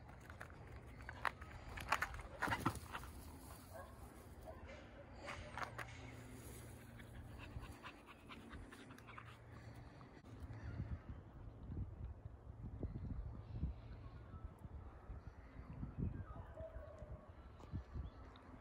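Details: Border Collies play among fallen sticks in a forest. Quiet, rapid breathy panting runs throughout, with twig snaps, rustling and footsteps on the forest floor.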